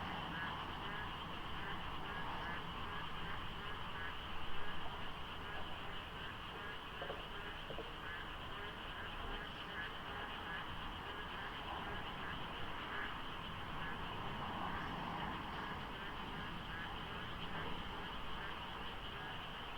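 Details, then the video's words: Rainy-season dawn at Deokso IC highway, South Korea, foggy with few cars: a thick frog chorus of fast, overlapping croaks fills the darkness, over a low rumble of distant road noise with a brief louder swell midway. "장마 중인 새벽 고속도로 덕소IC에 어둠을 가득 채운 개구리 소리"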